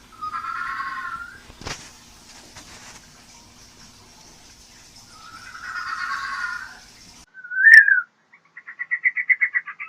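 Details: Pet fennec fox making clear harmonic whining calls around two seconds long, a sharp click, a brief squeaky note, then a rapid run of rising chirpy pulses; otherwise quiet indoors.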